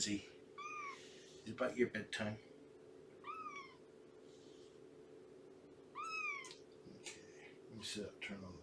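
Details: Morning meows from Shelby, an estimated two-year-old rescue cat cared for by Purrfect Pals: three clear, arched mews about three seconds apart, each rising and falling, with brief human speech between the first two and a constant background hum.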